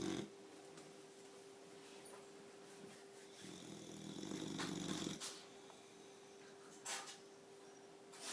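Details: Four-month-old Boxer puppy asleep indoors, snoring: rough, breathy rasps in a small room, swelling into a louder noisy stretch midway, with a steady low electrical hum underneath.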